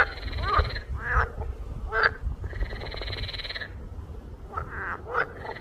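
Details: Frogs croaking in rough, buzzy bursts, some drawn out for over a second and others short and clipped, with several callers overlapping against a low background rumble.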